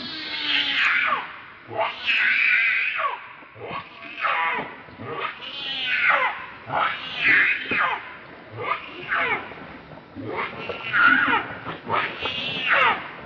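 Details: Hungry baby monkey Leo, also called Rainbow, angrily crying to its mother for milk; strident, tremulous wails follow one another almost without pause, each rising and falling, about a dozen in under fifteen seconds.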